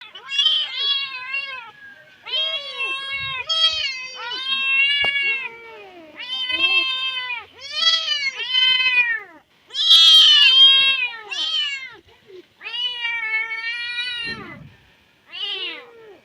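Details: Stray kittens meowing loudly and desperately, calling for their dead mother; overlapping high, harmonic-rich cries follow one another almost continuously, each rising then falling, with a few short breaks and one brief harsher squeal near the end.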